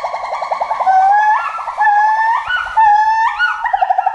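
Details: Loud forest monkey call of rapid, quavering notes climbing in steps into long, rising hoots, with the quavering returning at the end.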